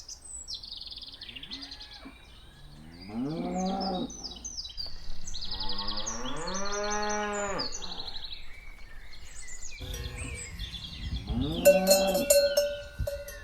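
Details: Cows walking, with three drawn-out lowing moos. Each moo swells and then falls away, separated by short pauses. Small birds chirp and twitter throughout.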